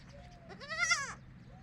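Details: Baby goat on a goat farm crying when separated from the adult goats: one loud, tremulous, wavering bleat lasting about half a second, preceded by a soft thin call, over quiet low hum.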